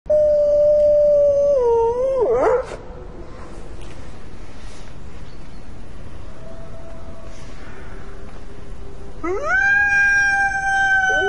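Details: Gray wolves howl in a snowstorm: long, smooth, mournful tones that waver and slide, with steady wind noise behind.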